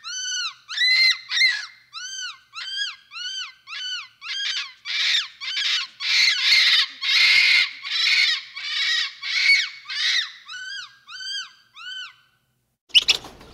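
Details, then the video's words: Capuchin monkey calling steadily: a long run of high, arched, ringing calls about two per second, growing harsher and louder midway, softening back to clear arches, then one sharp noisy burst. "Monkey Sounds | Capuchin Sound"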